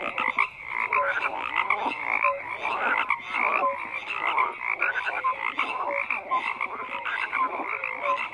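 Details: Frogs croak in a continuous crowded chorus: raspy pulsed calls overlap throughout, while short whistle-like tonal notes recur about once a second beneath the rattling mass.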